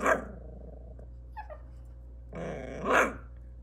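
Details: Maltese puppy barking: a sharp yap at the start, a brief squeaky sound midway, then a longer growly bark that swells and fades near the end, with a constant low hum behind.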